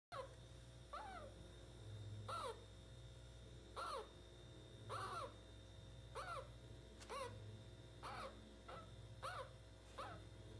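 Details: A pet meerkat gives short, sharp chirping squeaks, repeated about once every second, while its belly is being stroked, over a low indoor hum.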